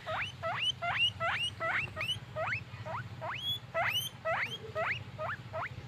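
A guinea pig gives rapid, high squeaks that sweep sharply upward, several each second.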